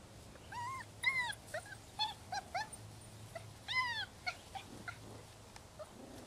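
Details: Six-week-old rescue puppies, a litter of six males and four females, give high, thin whimpers and yips, several arching whines rising then falling, in short bursts about every half second to second over a low steady hum.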